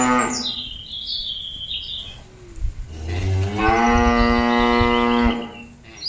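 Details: Cattle mooing to call companions back to the pen; a short low call at the start, then a long loud harmonic moo lasting about two seconds, with faint chirping birds in the background.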